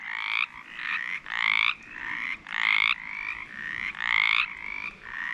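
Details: In spring at a vernal pool in West Virginia, mountain chorus frogs give raspy, rising trilled calls, several overlapping in quick succession.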